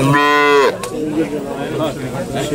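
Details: Calf aged up to six months at a traditional calf-promotion contest in Hisarcık, Kütahya, Turkey, 2022, gives one loud, rich, harmonic moo lasting under a second that drops at the end, followed by people talking nearby.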